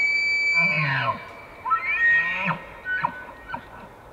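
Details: Elk bugling during the rut, recorded in Pennsylvania or the Canadian Rockies: a high, piercing whistle sliding downward over a deep grunting undertone, then shorter rising and falling whistled notes and guttural chuckles, steady background hiss.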